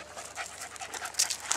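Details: Female Staffordshire Bull Terrier, blue, 18 months old, refusing the walk home and wanting to ride in the car; fast, hissing pants repeated several times a second, a few sharper clicks near the end.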